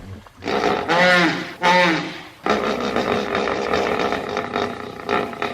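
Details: Two loud, rich bellows from a hippo, each about half a second long and strongly harmonic, followed by a long, rough, noisy exhalation with scattered, quieter grunting.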